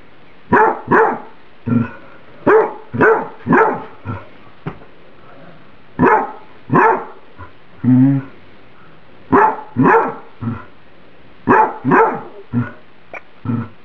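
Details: Domestic dog complaining that her microwaved spaghetti is too hot: a long, irregular run of loud, rough barks, singles and quick pairs, with a short whiny, wavering note in the middle. No other sounds.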